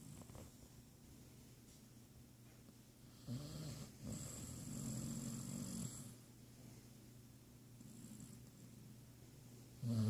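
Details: Basset hound snoring in its sleep; a slow low rasping inhale builds over a few seconds, then a breathy exhale, quiet room background, another snore starting at the very end.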